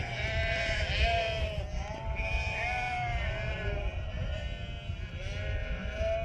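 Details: Farm flock of hundreds of Merino sheep bleating as if saying hello. A thick chorus of long, bending bleats overlapping without pause, with a low steady rumble underneath.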